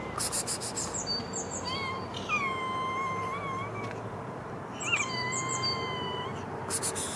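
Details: Hungry street cats outdoors giving long, drawn-out meows with a steady, slightly wavering pitch: one stretching for almost two seconds, then another after a pause, while small birds chirp high in the background over a constant low street hum.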